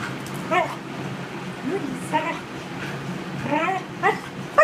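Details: Border Collie whimpering in distress, short harmonic whines rising and falling several times over a few seconds, with a quiet steady background hum.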